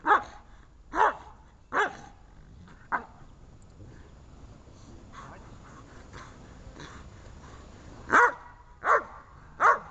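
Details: Dobermann barking in protection training: a run of four sharp barks about a second apart, a quieter pause with faint softer sounds, then three more loud barks in quick succession.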